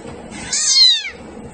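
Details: Short, high-pitched meow from a domestic cat, loud and close, a single bright harmonic call sliding downward over about half a second.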